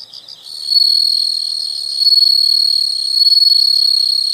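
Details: Insect trilling fills the recording, a continuous high-pitched buzzing tone with slight swells in loudness, after a brief moment of softer pulsed chirps at the start.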